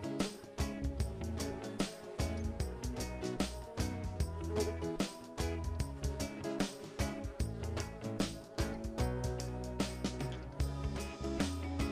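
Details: Steady background music with a driving beat and plucked guitar, no animal sound audible.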